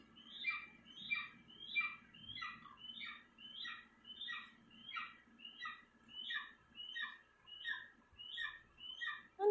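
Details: Pet dog making what are described as annoying sounds: high, squeaky whine-like calls with a falling tail, repeated steadily about every 0.6 seconds, roughly sixteen in a row, over a faint low background hum.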